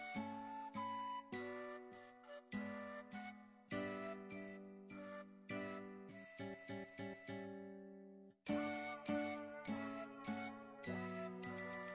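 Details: A chiming, bell-like ringtone melody of short struck notes plays, and no animal voice is heard.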